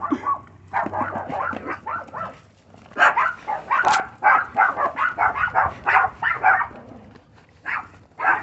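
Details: Female Chihuahua puppy determined to dig under a fence, giving a rapid run of high, sharp yapping barks, often in quick pairs and triplets, with short pauses around the fourth and seventh seconds; a faint low hum underneath.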